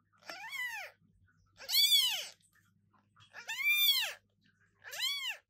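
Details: Very loud meowing from a newborn British Shorthair kitten indoors: four high, arched wails with rich overtones, each swelling and fading, coming about every one to one and a half seconds.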